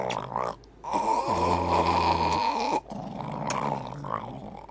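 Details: Morning-moody pet dog Hercules lets out a sustained, low, throaty moan that swells for about a second and then stops, with human voices murmuring before and after.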